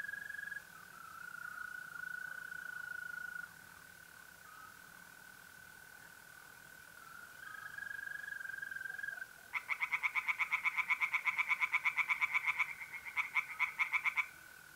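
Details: A steady, thin mole cricket trill on an April night in north-east Italy gives way to a burst of tree frogs singing in a pond, rapid grating pulses repeated for about five seconds with a short break.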